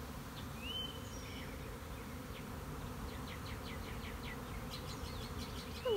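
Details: A swarm of western honey bees leaving a colony on 26 March 2021, after several days of rain, makes a dense, steady low roaring hum, with faint bird chirps above.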